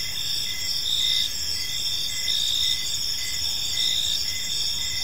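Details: In a serene park at evening, many crickets chirp together, shrill pulsed notes recurring under a constant high hum, with light low-frequency background noise.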